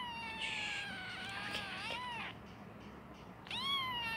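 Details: Kitten meowing before sleeping: a long drawn-out high meow with rich harmonics that bends down then rises, a short pause, then a second rising meow starting near the end; faint room hiss beneath.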